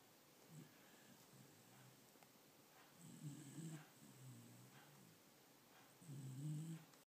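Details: Domestic dog snoring in a humanlike way: a run of low, throaty, grating breaths, some short and some drawn out over a second, recurring irregularly amid faint background hiss.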